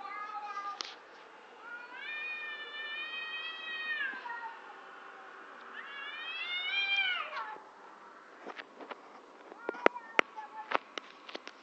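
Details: Bizarre noises from two cats in front of a house: two long, steady, nasal wails, each about two seconds, with rising starts and falling ends, followed by several sharp tapping clicks.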